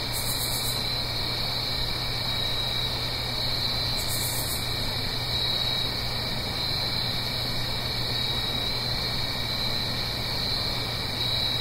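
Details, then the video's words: Autumn night crickets in the Blue Ridge Mountains near a gentle stream keep up an unbroken shrill chorus with a second fainter tone beneath. A steady watery rush fills the background, and two short sharp hissy bursts appear early on. "Autumn Crickets - 9-Hour Sleep Sound - Fall Cricket Song"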